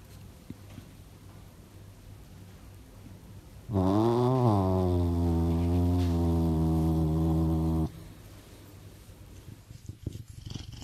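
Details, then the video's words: A serval purrs in one deep, steady rumble lasting about four seconds, apparently feeling good. "Serval Myxa Feels So Good with Purring : Sogga"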